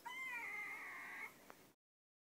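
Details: Long-coat chihuahua, one of two kept at home: a single high, drawn-out whimper lasting just over a second, holding a steady pitch before fading, with a faint tap afterward and then silence.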